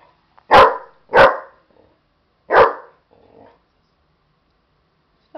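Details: Buddy, a pet dog, barks while agitated at a stuffed animal: three sharp, loud barks, the first two close together and the third after a pause, followed by a faint low mutter and a brief sound at the end.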